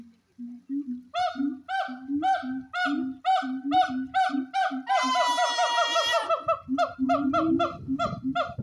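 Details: Siamang gibbons at the Honolulu Zoo in 2023 call to each other in a fast run of honking barks over deep, booming throat notes.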